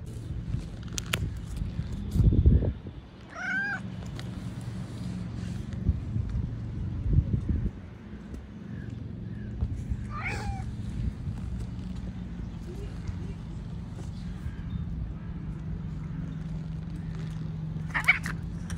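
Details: Stray cat during a tense exchange with other strays, giving short arched meows around three and ten seconds and a brief cry near the end, set against a constant low mechanical drone and occasional knocks.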